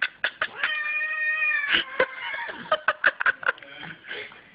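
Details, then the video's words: Snoop, a female house cat who dislikes being brushed, gives a long, level, wailing caterwaul lasting about a second. Sharp brushing scrapes and a person shushing her follow. "Snoop doesn't like getting groomed"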